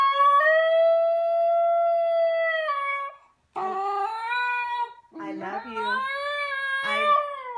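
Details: Ginger Snap, a playful female Basenji, giving a sustained level howl, then shorter rising and falling yodelling notes. A woman speaks affectionately to her between the calls.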